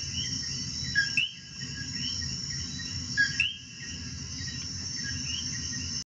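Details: Several coqui frogs in Puerto Rico giving quick rising whistled notes, the loudest coming in two bursts, over a steady shrill insect drone and faint low rumble.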